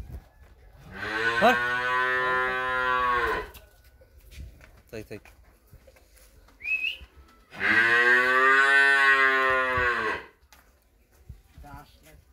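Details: Friesian heifer calf offered for sale in Pabna, Bangladesh, giving two long, loud moos of about two and a half seconds each, rich in stacked harmonics with a steady pitch, separated by a quiet gap of clicks and faint noises.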